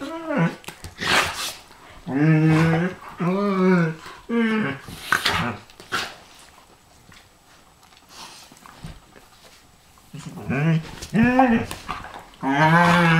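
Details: Two dogs, a Pharaoh Hound and a Ridgeback, play-fight with repeated short, throaty growls that bend up and down in pitch, broken by bursts of scuffling and pawing and a quieter lull midway.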